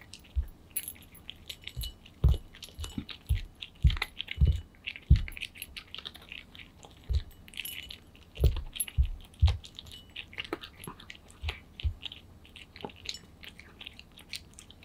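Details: Pet cat named Aman eating kibble greedily, possibly also lapping milk: crisp crunchy chewing clicks and bites in irregular bursts, with low thumps from the bowl and no voice or music.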